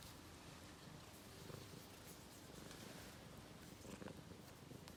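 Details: A British Blue Shorthair cat, being soppy in a catio, purrs steadily, a low, even rumble with a fast pulsing beat.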